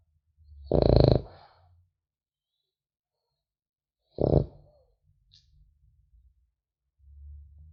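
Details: Sleeping French Bulldog puppy giving two short, rough snores several seconds apart. Soft low breathing rumbles fill the quiet pauses, and a faint snuffle is heard near the end.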